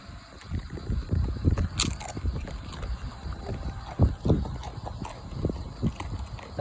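A dog eating noisily, with irregular wet crunching, slurping and smacking sounds in quick succession.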